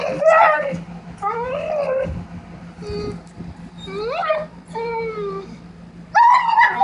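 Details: Excited warbling from Sugar the dog: bursts of bending, wavering whines that slide up and down, separated by short pauses, with a constant low hum behind.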